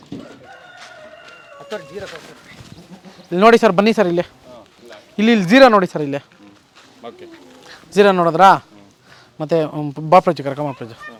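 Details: Beetal goat on a farm in Erenahalli village, Nandi Hills Main Road, Bangalore rural, Karnataka; four loud quavering bleats, each about a second long with wavering pitch, spaced by short pauses, with faint speech in the background.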